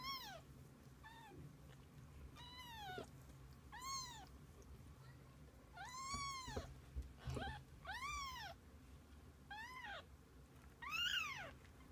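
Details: Domestic cats, kittens with their mother, spending the day together: many arched, rising-then-falling meows, some high and thin, others fuller, repeated irregularly about every second or two across the stretch, over a steady low hum.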